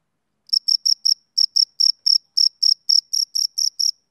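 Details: A male cricket starts chirping after half a second of silence, then gives a fast run of shrill, high pulses, some paired, at roughly four per second; a summer-evening insect sound with nothing else audible.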